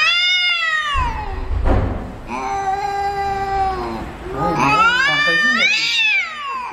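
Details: Angry cat in a fight gives sustained wavering yowls, a long level wail followed by a higher rising-falling howl, with a brief rough noise burst between cries.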